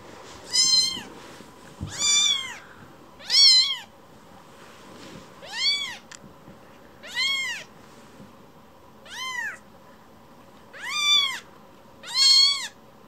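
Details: Affectionate rescued baby kitten returning to its rescuer for more stroking, giving a steady series of eight arched, high meows roughly every one and a half seconds against a quiet indoor background.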